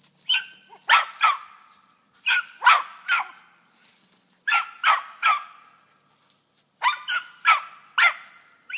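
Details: Squirrel dogs from a kennel in western Kentucky barking at a tree as the handler urges them on; sharp barks come in tight clusters of two or three, separated by short pauses, with a steady high hiss behind.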